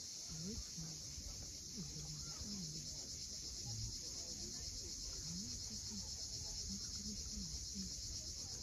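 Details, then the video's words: Sunset cicada chorus above the sea at Cape Fiolent in Crimea, a continuous high, finely pulsed buzz. Soft low wavering notes and the wash of surf lie beneath it. "Cicadas at sunset."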